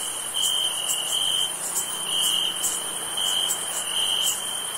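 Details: Summer night cricket chorus: constant shrill high-pitched chirring with regular pulsed trills layered over a steady whine, no other sounds.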